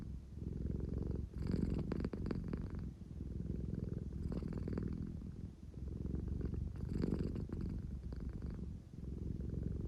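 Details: Deep, steady purring from a drowsy, affection-seeking American Shorthair indoors, a rumbling motor-like drone rising in loudness with each breath roughly every two and a half seconds, no other sounds.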